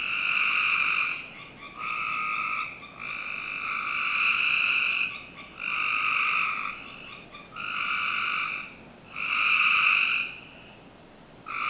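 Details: Summer night frog chorus from a Northern Virginia backyard, with overlapping sustained trills of uneven length, some running two seconds or more, broken by brief pauses against a low steady background hiss.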